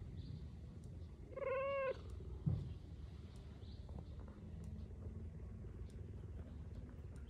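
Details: A cheetah (Acinonyx jubatus), heard up close, purrs in a low, steady rumble, broken once by a brief, high, mewing chirp.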